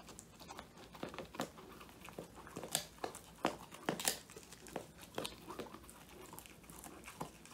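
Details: Phone recording of Woody, a male Old English Sheepdog, working through a whole quail, his first treat: crackly, crinkling chewing with several louder snapping crunches in the middle.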